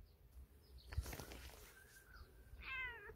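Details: Injured stray cat with a bleeding leg, outdoors near a mountain path, seemingly leading its feeder to follow; a short rising-then-falling harmonic meow near the end, after rustling and scuffing noises.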